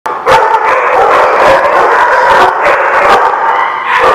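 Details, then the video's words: Many dogs barking together, recorded November 19, 2016: a dense, continuous, loud chorus of overlapping sharp barks with sustained howl-like tones running beneath, the sound heavily saturated throughout. "The Barking Lot"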